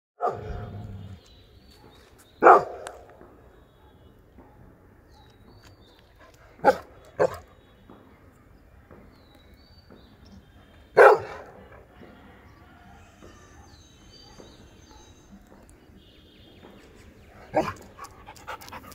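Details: An adult Labrador Retriever barks in loud, deep, abrupt single woofs, some paired, separated by pauses of several seconds, over a quiet background hum.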